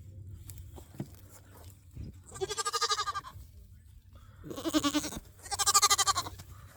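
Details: Homestead goats bleating loudly: three long, strongly quavering bleats around two and a half, five and six seconds, the last two nearly back to back, over faint clicks and a low background hum.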